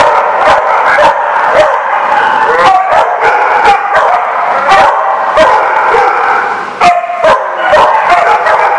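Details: Many dogs barking together in a busy chorus, sharp overlapping barks and yips repeating roughly every half second, loud and close, with constant clamour filling the background.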